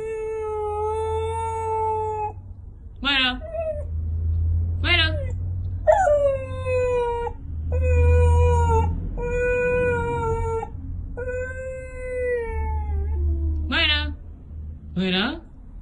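A Siberian Husky howls in long, steady tones broken by quick, yodelling swoops.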